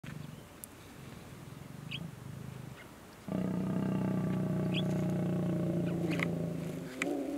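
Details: Lions mating in Kgalagadi Transfrontier Park: a low rumble, then a sudden loud, deep sustained growl-roar with strong harmonics holding for over three seconds, faint bird chirps above.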